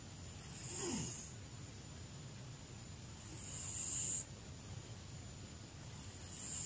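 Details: A very old domestic cat, almost 20 years old, sleeps noisily, giving breathy, hissing snores roughly every three seconds, three snores in all, each a soft rushing exhale over a quiet low rumble.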